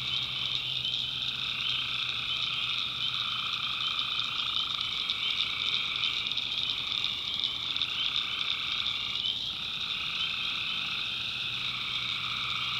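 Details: Swamp at night in the backwoods of North Carolina, where tree frogs form a thick, constant shrill chorus; lower trilling calls rise and pause in waves across the stretch, with faint low hum.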